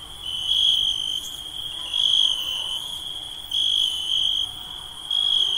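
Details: Insects calling at night: a steady, high, thin trill holds almost continuously, swelling louder in four longer pulses about every one and a half seconds, with fainter higher tones layered above; no other sounds stand out.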